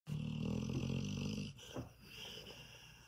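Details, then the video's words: Female German Shorthaired Pointer in a deep sleep, snoring loudly: a deep, rattling, pulsed rumble for about a second and a half, followed by a softer breath and quiet noise. "German Shorthair in a deep sleep"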